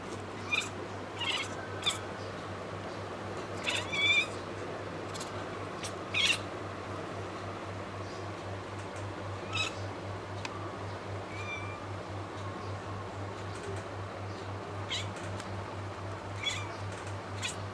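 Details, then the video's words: Pet Bengal kitten talking to birds: brief, high chirping calls scattered irregularly, some in quick pairs, faint over a steady low indoor hum. "cat talking to birds"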